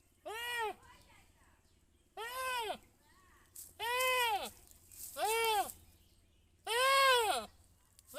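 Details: Five separate bleats from a goat, each a short rising-and-falling nasal cry, spaced one to two seconds apart, with a low hum underneath.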